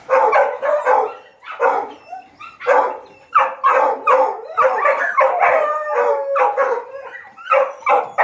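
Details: Hunting dogs being taught to hunt paca, baying in a chase; overlapping drawn-out, wavering howls and yelps from several dogs rise and fall in quick bursts, nearly continuous over the stretch.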